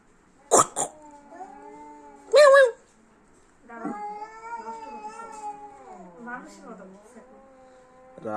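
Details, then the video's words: Quarrelling cats: sharp bursts of noise and a short high cry, then a sustained wavering yowl that dips low and drops into a growl, with a man talking in the background. "বিড়ালবিড়ালের যুদ্ধ"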